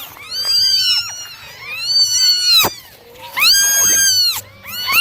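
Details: Domestic kittens, nine of them, being dried in the morning, giving shrill curved meows that overlap and stack in two loud clusters, with softer calls between and a faint low hum beneath.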